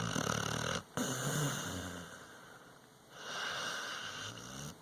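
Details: Sleeping dog snoring: a raspy, low pulsing rumble on each breath, broken by a brief silent pause near the first second, then a long steady exhale and a softer hissing breath.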